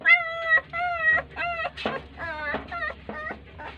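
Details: Crying puppies ignored by their mother dog give drawn-out, level, tonal whines, each about half a second long. Later notes become shorter and more broken, with a soft low hum in the background.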